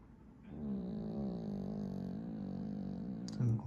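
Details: Ginis, a pet Pomeranian, asleep and snoring: one long, low, rumbling drawn-out breath with a steady droning tone, followed by a short muffled noise at the end.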